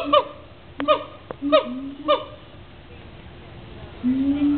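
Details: Captive gibbons calling at the Cincinnati Zoo, four quick arched whoops with ringing overtones at roughly half-second spacing, a pause, then a long low rising hoot near the end.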